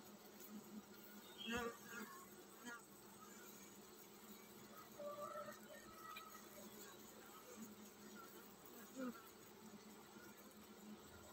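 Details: Honey bee colony preparing to swarm: a steady low droning hum runs throughout, with a few brief higher tonal sounds and scattered clicks and knocks over it.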